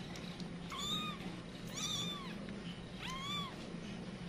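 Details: Domestic cat, a mother whose kittens have scattered, calling in alarm: three clear rising-then-falling meows about a second apart, each with bright stacked harmonics, over a low steady hum.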